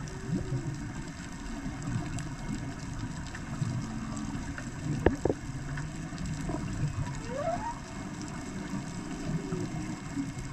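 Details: Whales recorded near the old airport at Kona sing underwater, with low moans and brief rising upsweeps over a constant rumbling wash.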